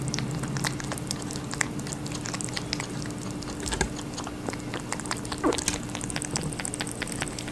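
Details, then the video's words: Busy, wet crunching from a rabbit eating watermelon, irregular bites and chews repeating several times a second, one brief squeak late on, low hum beneath. "Rabbit eating a watermelon"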